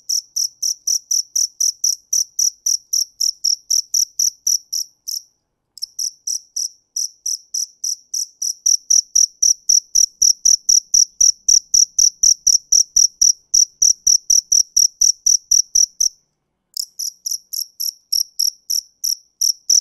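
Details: Cricket song of high, pulsed chirps about four per second, broken by two short pauses of under a second. Faint low knocks sound in the background during the middle part.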